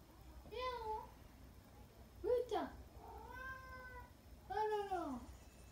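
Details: Female Russian Blue mix cat, about two and a half years old, a spayed rescue, chatting with her owner indoors: four drawn-out meows, some rising then falling, one short and chirpy, with the owner's voice between.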